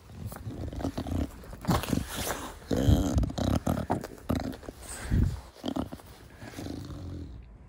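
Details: Short-nosed pet Bulldog Da Vinci cuddling with its owner outdoors in a garden, snorting heavily: a run of rough, low grunts and wheezy breaths, loudest around three and five seconds, with handling noise.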